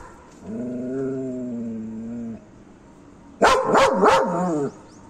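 A German Shepherd holds a long, steady whine, then gives a quick burst of loud, rough barks.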